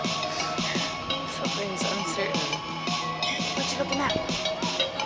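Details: Electronic dance music plays throughout, with a steady pulsing beat and sliding synthesized tones, and no animal voice can be picked out.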